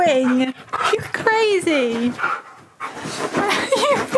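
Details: Siberian Husky named Key, indoors on a bed, talking because he wants to play: drawn-out, wavering whining yowls that slide downward, several in a row, with a woman speaking over and between them.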